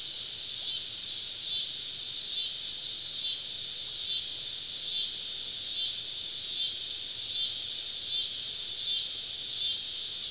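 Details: Deep-woods summer evening while camping, cicadas on every side: a loud, continuous high buzzing wall of sound with gentle, irregular throbbing pulses and no other clear sounds.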